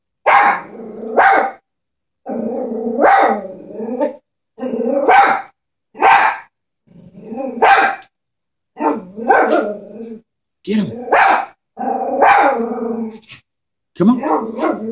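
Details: Chihuahua scared of a stuffed toy horse, barking in sharp bursts about once a second, several barks drawn out into rough, growly tones, with short silent gaps between volleys.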